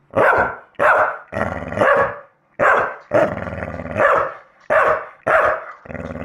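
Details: Male Staffy answers a playback of his own barking with a steady series of loud, harsh barks, some drawn out and growly, roughly one every half second with short pauses between bursts.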